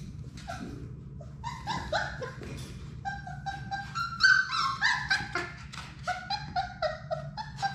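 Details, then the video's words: Six Labrador Retriever puppies from Sadie's litter at play in their indoor puppy play room; overlapping high whimpers and yelping yips, rising and falling, come in quick irregular bursts over a low steady room hum. "Labrador puppies at play!"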